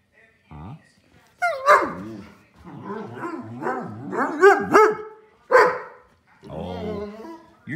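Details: Frustrated older male Pudelpointer 'talking' indoors while wanting to be let outside: bursts of yodelling, wavering howl-whines that swoop up and down, with loud yelping peaks, interleaved with a person's questioning speech.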